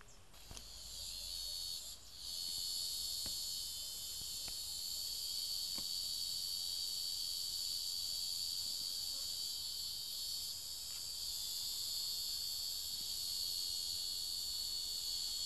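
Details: Cicada being devoured by ants gives a steady, high-pitched continuous buzz with a thin sustained whistle-like tone running through it, broken by a few faint clicks.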